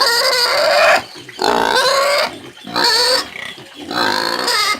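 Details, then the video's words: Porco caipira, a domestic pig, screaming in four long harsh squealing bursts, each near a second long, strained and rasping, separated by brief quiet breaks. "SOM DE PORCO CAIPIRA - SOM DE PORCO - EFEITOS SONOROS DE PORCO PIG SOUNDS - DE PORCO GRITANDO"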